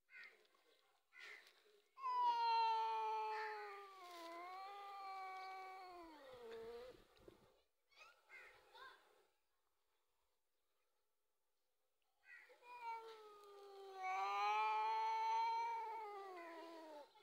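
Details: Cat squabbling with a dog over milk gives two long, wavering yowls, each several seconds, the pitch bending down and then back up, split by short scrappy bursts and a quiet gap.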